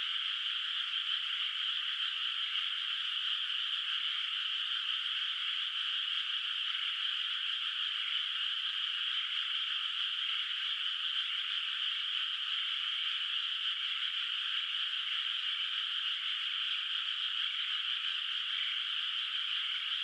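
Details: Night ambience of many frogs in a moonlit, still-unplanted rice paddy in the countryside, heard from afar as a continuous trilling drone that stays level from start to finish.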